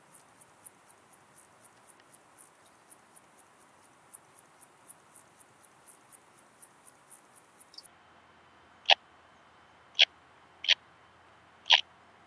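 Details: Song of a purple meadow bush-cricket, Muhrtal, Austria, October 2020: rapid, regular high chirps roughly three per second, then a few widely spaced, lower clicking pulses as rendered by a Pettersson D 100 ultrasound detector.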